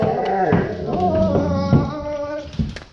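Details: Golden Retriever Bo, trying to say he needs to go potty, makes a rough, warbling vocal moan in a small room, several overlapping harmonic bends, while someone calls him to come here.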